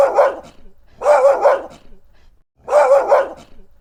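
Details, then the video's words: Barking dog, three long, loud, rough barks each carrying a double pulse, the last two separated by a short silence. "dog barking sounds 狗吠聲 개 울음소리 犬の鳴き声"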